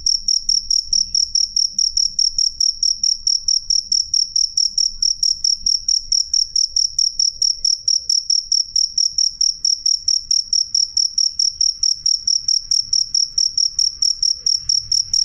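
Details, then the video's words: Cricket chirping loud and clear, a steady train of sharp high-pitched pulses repeating about twice per second, evenly spaced and unbroken, with only a faint low hum beneath. "suara jangkrik jernih keras"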